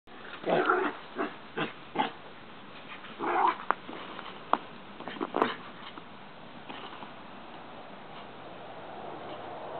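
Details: Several small boarding dogs romp together in a dog run play area at Christmas, giving short sharp yips and barks in quick bursts through the first half, then scuffling and quieter panting noises as the play goes on.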